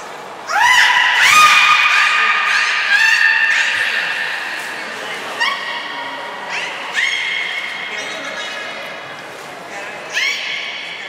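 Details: Belugas Nana and Niko being trained at Port of Nagoya Public Aquarium, Japan, 7 October 2018. Rising harmonic whistles level off into held tones and repeat several times, some long and some short, over a low hall murmur.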